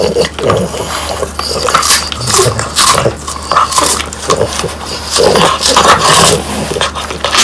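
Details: French Bulldogs chomp on crunchy dried whole quail with the bones left in. Loud, rapid crunches and wet smacking come in bursts with brief snuffles, over a faint steady hum in a room.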